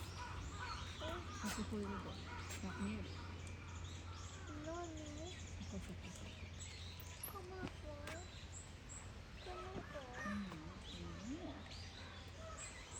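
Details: At Yokohama's Zoorasia zoo on 21 November 2022, bush dogs trade thin, wavering squeaks and whistles, some rising and falling, while people talk quietly nearby and a low hum runs throughout.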